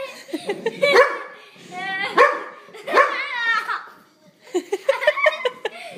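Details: Pet dog barking at a zipper indoors: three loud, sharp barks spaced about a second apart, the last slightly drawn out, with a person talking to the dog before and after.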